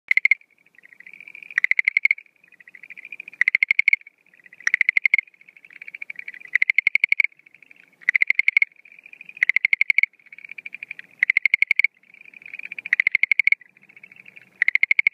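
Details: Schlegel's green tree frog calling at night at the start of breeding season, 17 April 2013: loud bursts of rapid clicking pulses alternate with softer, quieter pulsed trills, repeating about every one to two seconds.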